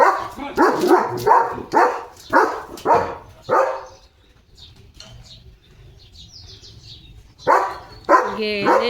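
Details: German Shepherd dog barking loudly at cattle passing in front of the gate in the early morning; a fast run of six harsh barks, a quiet pause, then more barks at the end.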